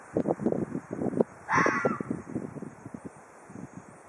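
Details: Threatening Ezo red fox in Hokkaido: a stuttering series of short harsh clicks and chatters, with one longer hoarse screech near the middle before the chatter fades.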